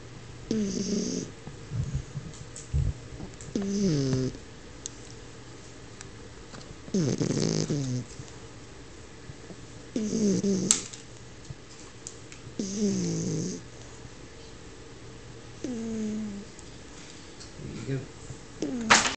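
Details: Sleeping French Bulldog snoring indoors: rough, nasal breaths with a whistling, wheezy edge, each lasting about a second and recurring roughly every three seconds, separated by quiet pauses.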